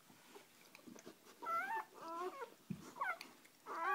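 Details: Mother dog resting with her first three freshly born puppies; short, wavering high whimpers cluster in the second half amid shuffling and a soft room hiss, ending on a louder squeal.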